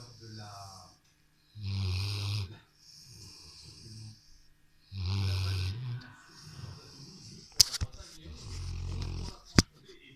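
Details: Rottweiler settled on the sofa snoring, with rough low snores and airy hissing exhalations in irregular bursts, then two sharp clicks near the end.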